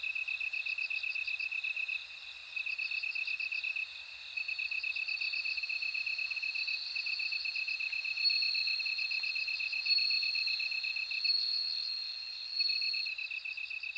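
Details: Overlapping bell cricket chorus: bright, rapidly pulsed high ringing notes layered over a lower steady insect trill, volume swelling slightly midway.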